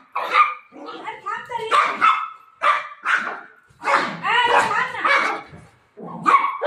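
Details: A pet golden retriever looking for its owner lets out bursts of barks and whiny, yipping sounds in uneven clusters, while a person talks over it.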